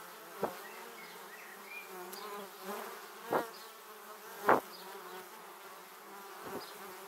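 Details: Swarm of honey bees heading to their hive passes a 360-degree camera; continuous humming buzz from many bees, broken by several sharp, louder whooshes as individual bees zip past the microphone, roughly once a second or two.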